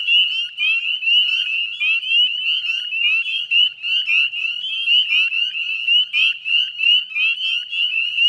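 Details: Spring peeper chorus from the Chezzetcook salt marsh, Nova Scotia, Canada, at dusk on 18 May 2020: countless short upslurred piping notes overlap into an unbroken, ringing high-pitched wall of sound.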